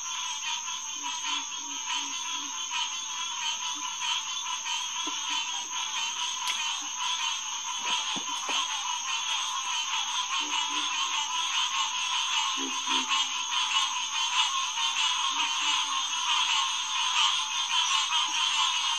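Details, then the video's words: Green tree frogs (Hyla cinerea) calling together at a pond in SMNWR on a June night in 2021, about 9:10 pm. Rapid, overlapping honks form a thick, unbroken chorus, punctuated by a few deep low grunt bursts. "Green Tree Frog Chorus"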